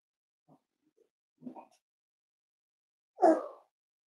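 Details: Indoors with Cavalier King Charles Spaniel puppies and adult dogs on a chilly morning: soft low grunting snuffles, then a fuller, lower, drawn-out bark that fades away, with nothing else audible.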